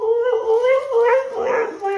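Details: Husky 'talking' to its owner returning home from work; loud, drawn-out, wavering howl-like moans in a rising and falling sequence, breaking into rougher whine near the end.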